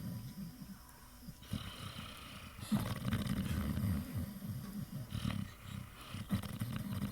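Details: Pit Bull snoring while asleep and dreaming; deep, rumbling, growly snores pulse rapidly and unevenly, swelling louder in the middle, with faint muffled whimper-like sounds.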